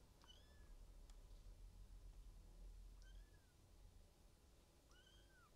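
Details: Male silver tabby Maine Coon kitten, 16 days old, from a cattery in Tokyo, gives three thin high mews, each rising then falling, about every two and a half seconds, in a quiet room.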